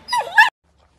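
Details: Dog giving one quick double yelp, a sharp bright yip lasting half a second, followed by silence.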